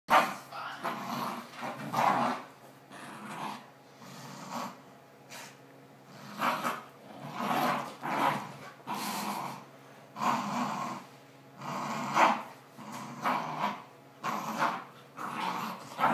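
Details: Two dogs playing tug with a toy made from old t-shirts; broad rough growls come in repeated bursts about every one to two seconds, rising and falling, through the whole stretch.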